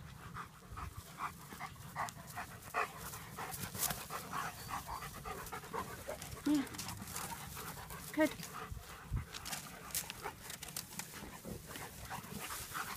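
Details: German Shepherds at play, panting in quick, breathy rhythmic bursts with brief louder puffs throughout, faint voices and outdoor background.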